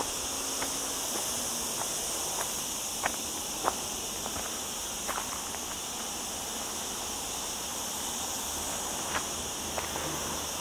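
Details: Softer but steady cicada buzzing rings from olive trees on a hike through lower Sierra Llana near a town, on a cloudy day of a hot week, with light footsteps clicking along the path.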